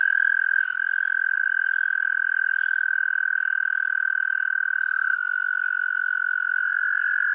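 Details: American toad in the foreground giving one long, steady, unbroken musical trill at an even pitch for the full length, with faint spring peepers in the background.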